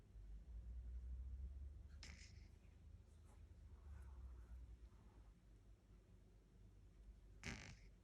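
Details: Low, rumbling breaths from a snoring 10-week-old Shih Tzu puppy, a soft rattle rising and falling over several seconds, broken by two sharper snorts.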